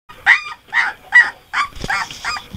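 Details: Three-week-old Golden Retriever puppy, frustrated after the rail he climbed out of his whelping bed on was removed, giving a run of six short, high yips about every half second, with a woman speaking afterwards.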